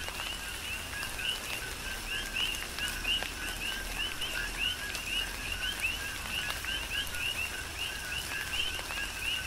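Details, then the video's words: Coqui frogs calling in tropical rain on the Big Island of Hawaii: a dense chorus of two-note calls, a lower note then a higher rising chirp, repeated steadily by many frogs over soft rainfall and scattered drips. "Tropical Rain & Coqui"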